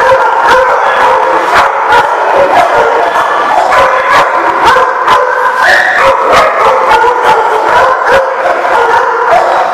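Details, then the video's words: Many dogs at The Barking Lot, recorded 7/3/15, barking in a dense overlapping chorus of sharp barks and yips with drawn-out howl-like tones, continuous throughout, loud and heavily saturated. "The Barking Lot"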